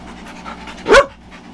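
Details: Dogs at play at Carrie's Critter Camp: Tetra the Husky and Myla the red Labrador, joined by Cole, Gypsy and Gracie. One short, sharp yelping bark bursts out mid-clip over a quiet, steady background hum.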